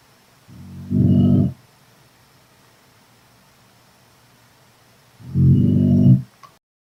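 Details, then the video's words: Chinese Shar-Pei dog, 10 months old, snoring while asleep indoors; two deep, rumbling snores about four seconds apart, each roughly a second long, with quiet between. "Sleeping (snoring)"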